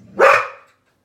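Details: Golden Retriever spooked by seeing itself on television gives a single short, sharp bark that fades quickly.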